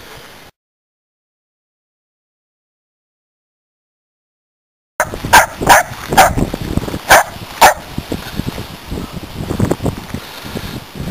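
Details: After a silent gap, corgis in a country front yard burst into sharp, rapid barking, warning about a snake they found near a wood pile.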